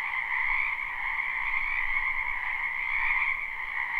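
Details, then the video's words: Many frogs call together in a spring wetland, live and unlooped. Their croaking blends into a constant, buzzy, high trill that rises and eases a little in volume. "Ambient Noise for Sleep Frogs"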